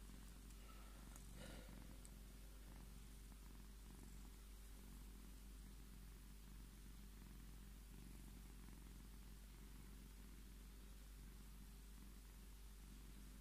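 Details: Tommy, a Scottish Fold cat, purrs continuously as he claims his cuddles: a dense, even low rumble throughout, with a short burst of rustling near the start.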